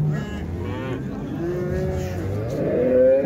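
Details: Young bulls at the Şarkışla livestock market in October give drawn-out, wavering moos with rising and falling tones, mixed with background music and a low hum of market noise.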